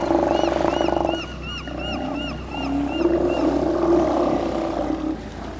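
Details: Steller sea lion colony with large males on Mitlenatch Island, October 8th 2012; deep, continuous roaring chorus, overlaid by repeated arching gull cries.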